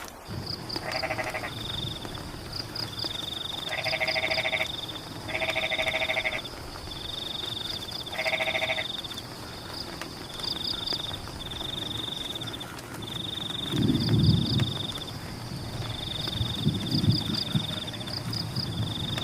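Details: Frogs calling during rain in rice fields: bursts of rapid rattling pulses near 1, 4, 6 and 8.5 seconds, over a steady high insect-like whine, quick high triple chirps and a low rumble of rainfall.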